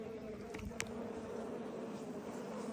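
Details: Asian honey bee colony (Apis cerana) being rescued from a canal, steady low buzzing hum of many bees throughout, with a couple of brief clicks or knocks early on.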